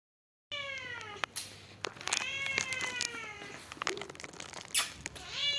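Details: White and brown Persian cat meowing indoors: a run of clear, tonal meows, several with a slight rising-then-falling bend and rich harmonics, following one another closely over about five seconds, with a few sharp clicks and taps between them.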